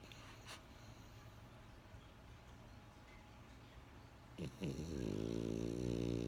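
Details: Sleeping French Bulldog Benjamin indoors: quiet breathing, then a snore that sweeps up in pitch and settles into a steady, loud buzzing rasp until the end.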